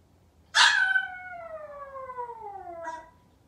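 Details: A Maltese puppy left home alone, waiting for its family to return, gives one loud sudden cry that settles into a long, slowly falling whine lasting over two seconds, with a short faint cry at the end; room otherwise quiet.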